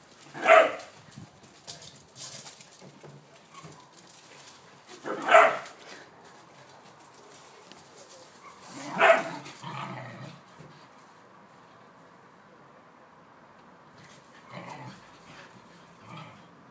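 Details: Whippets Blu and Digz at play in a home garden, chasing each other; single loud barks spaced roughly four seconds apart, three strong ones then fainter yelps, over quiet background.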